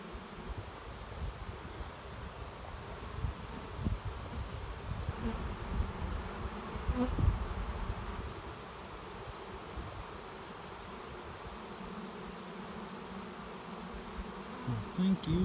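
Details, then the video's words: Honey bee swarm arriving at a swarm trap behind a garage, a cloud of bees flying overhead and landing over about an hour; steady low droning hum with a band near 200, gusty low rumble and brief louder bursts. "Swarm of honey bees finds new home"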